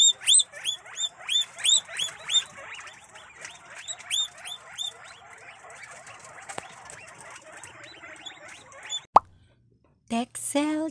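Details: Guinea pigs of several breeds at a caviary and rabbitry in Cabugao, Ilocos Sur, wheek loudly: high rising whistles with strong overtones, about three per second for six seconds, fading into soft chatter, a click, then renewed squealing.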